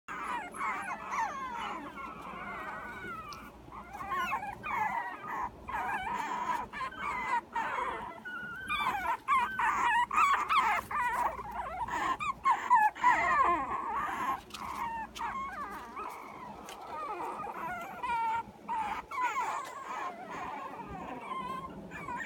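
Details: Puppy in the morning producing a long run of high, wavering whimpers and whines, quavering up and down almost without pause, with a few brief breaks and soft rustling.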